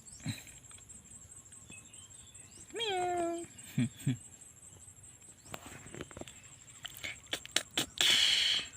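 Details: Stray kittens with their mother cat give a single harmonic meow that rises then falls and flattens, followed by two short low squeaks; faint chirps, a steady high electronic whine, and a burst of rustling noise near the end.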